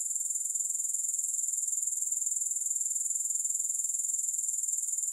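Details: Grasshoppers in a steady high, thin insect buzz made of rapid even pulses, unbroken throughout, with no music or other sounds.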